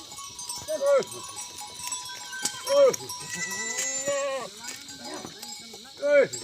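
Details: In an Uttarakhand village in India, Himalayan goats from a goat farm in the jungle give three loud, nasal, falling bleats a few seconds apart, with softer overlapping bleats, clicks and a background hum.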